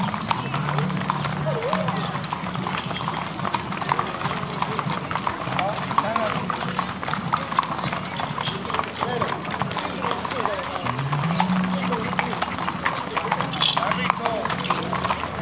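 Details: Parade of Criollo horses through Pampayasta's Av. San Martin as the sun sets, 03/12/2016; continuous scattered hoof clops mixed with people talking nearby and a low steady hum.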